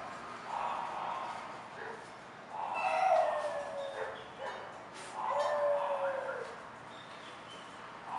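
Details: English Bulldog at a Florida breeding kennel producing repeated whines and whimpers, each a wavering tone that bends down at its end, arriving in irregular bursts about every two to three seconds, faint hiss underneath.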